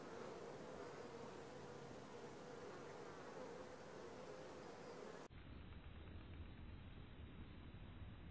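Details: Honey bees buzzing at a Langstroth hive landing board, four days after being moved from a nuc: a continuous droning hum for about five seconds, then an abrupt cut to a duller, muffled rumble.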